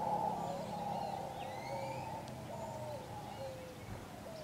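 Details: In Puerto Potrero, Costa Rica, on February 10, 2015, howler monkeys give a steady, rumbling low droning howl chorus that swells and fades like distant wind through the forest, with faint thin whistled bird calls above.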